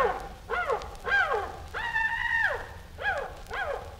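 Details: Piercing chimpanzee screaming, short falling shrieks broken by one long, steady, level scream held for nearly a second, then more brief arched cries.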